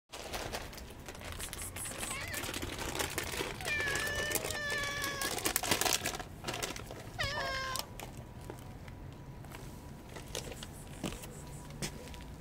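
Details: Friendly ginger street cat, homeless and hungry, giving several short rising meows around the middle, with steady background street noise and faint voices.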